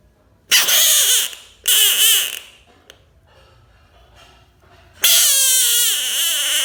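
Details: Bullfrog screaming: loud, harsh, wavering wails about a second long, two in quick succession, then a pause and a longer scream that fades slowly.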